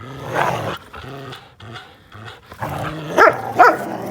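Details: Linus, an American Pit Bull Terrier, plays with Buddy, a blue Belgian Malinois cross, on April 1, 2019: low harmonic growls pulse in short bursts, then two sharp barks near the end.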